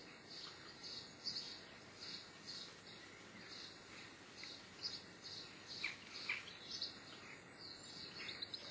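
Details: Brisk run of high, thin chirps from a Geoffroy's marmoset, about two a second, a few dipping lower and sounding squeakier, with a constant low hiss underneath.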